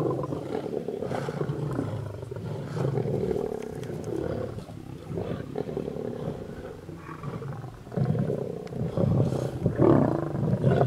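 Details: Mega pride of lions feeding on a buffalo in the road near Satara rest camp, Kruger National Park, South Africa, blocking traffic; low, rumbling growls run almost continuously, swelling louder toward the end.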